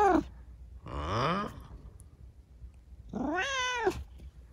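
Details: Rescued kitten with injured legs after an accident, chattering at night: a brief falling mew, then a rising, harmonic-rich meow of about half a second, and a longer arched meow near the end, over a quiet low hum.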